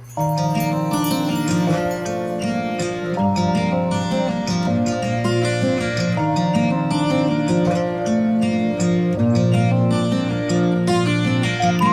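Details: Plucked string music with a steady melody plays throughout, and no animal voice is heard.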